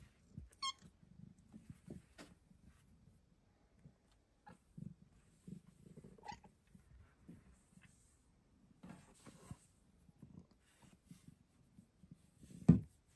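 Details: Luna, a pet Bengal cat, squeaking while belly flopping indoors, making noises never heard from her before. One brief high, squeaky chirp near the start, then soft low rumbling and rustling, ending in a loud thump.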